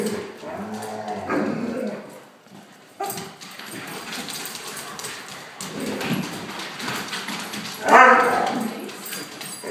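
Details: Akitas grumble, growl and yip in short, harmonic bursts while play-fighting with a German shorthaired pointer, their best friend; it sounds vicious but is just play talk, not aggression.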